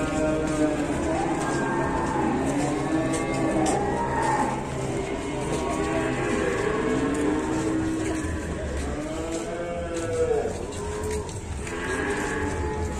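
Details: Fierce, wild cow at a cattle barn in Indonesia, praised for its large, sturdy build; several deep, wavering moos follow one another across the recording, over background music, light knocking and occasional voices.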